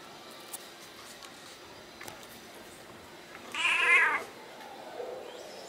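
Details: A 20-year-old Siamese cat that meows a lot gives a single drawn-out, strongly harmonic meow in a quiet room.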